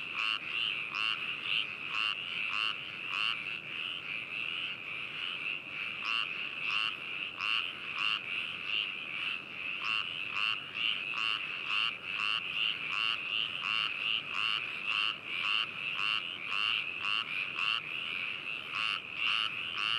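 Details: Frog chorus recorded binaurally on 4 May 2018 at Hakushu in Hokuto City, Yamanashi, Japan: rapid, irregular croaking bursts about two per second layered over an unbroken high-pitched trill from many callers.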